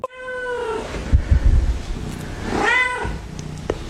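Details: Domestic cat giving two clear, drawn-out meows, the first falling in pitch, the second rising then falling, separated by low thumping handling noise.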